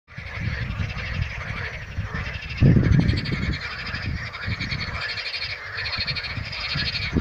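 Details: A chorus of frogs at Karaburun keeps up a steady, rattling, pulsed croaking over a low rumble.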